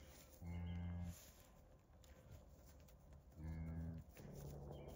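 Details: Milk cow on a ranch just after giving birth to her first calf, a heifer, sired by a Speckle Park; two deep, steady, harmonic moos about three seconds apart, a faint tone after, and a person softly speaking to her.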